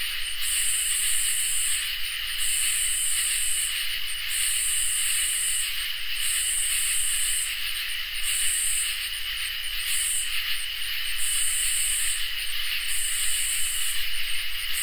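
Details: Crickets and katydids chorus on a summer night: an even, sustained trill under high buzzing bursts that repeat about every two seconds, about eight bursts in all, each with a brief stutter at its edges.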